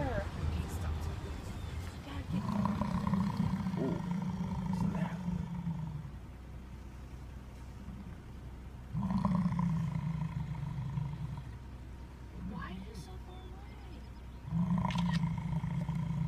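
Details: In Yellowstone National Park, an angry American bison from a herd crossing a road gives long, deep, rumbling growls, each lasting a few seconds, with people talking nearby.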